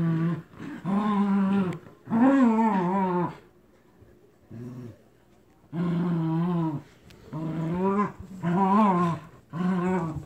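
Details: Captain Jack and Scarlett, two terriers, growl while tug-of-war over a toy duck turns into wrestling: loud, rich growls in long bursts, a quiet pause with a faint grunt, then a string of rumbling growls.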